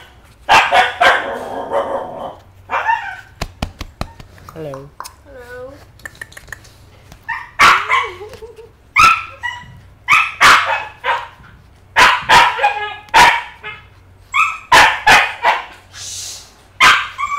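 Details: Eight-week-old female home-bred Maltese puppy in Subang Jaya, vaccinated once, giving a run of short, high, sharp yips and barks, roughly one per second, with a few wavering whine-like notes near the middle; a human voice also appears.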